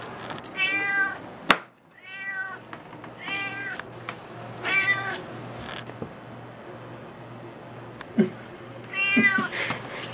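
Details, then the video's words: Juniper, a house cat eager for salmon, lets out strong drawn-out meows in bursts, with a pause and clicks between, then a final loud meow; low hum in the background. "cat wants salmon"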